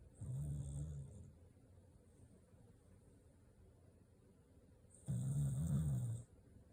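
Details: Corgi sleeping soundly, letting out two low, gravelly snores about five seconds apart, each lasting about a second, with near silence between.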